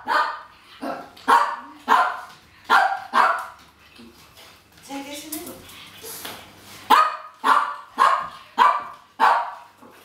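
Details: Pekingese dogs at feeding time in a household, barking while waiting for food; quick bright yappy barks in bursts, a short whining moan in the middle, faint clatter and a voice behind.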